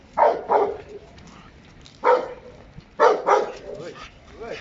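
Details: Working Giant Schnauzer in a bus scenario training exercise, barking in paired bursts: two sharp barks, a single bark, then two more, spaced about a second apart, with a faint voice in the background.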